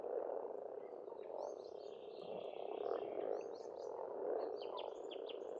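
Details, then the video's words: Frogs croaking en masse at a pond in Estonia in spring, a rolling continuous chorus, with birds adding quick high chirps and twittering notes throughout. "Расслабляющее пение птиц и лягушек, весна, природа."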